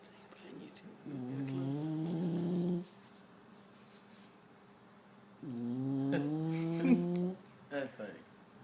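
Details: Sleeping bulldog snoring loudly indoors: two long, droning, tonal snores of about two seconds each, pitch rising slightly through each breath, separated by a few seconds of quiet, with a brief faint rustle near the end.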